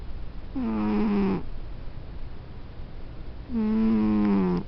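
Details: Sleeping house cat snores twice, each a low, humming, buzzy breath lasting about a second, with a brief upward scoop at the start and a quiet gap of two seconds between.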